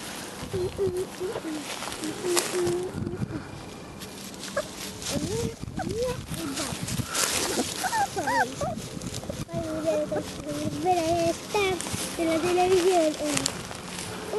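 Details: A litter of 30-day-old Vizsla puppies, sired by Fiuto out of Kalì, whimper and whine in wavering, bending tones, often overlapping, with a woman speaking over them throughout.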